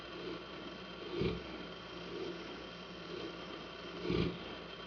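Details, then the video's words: Saint Bernard named Hanna snoring in a room, soft breathy snores about every second, three louder rasping ones standing out over a constant low mechanical hum. "O Ronco - Snoring"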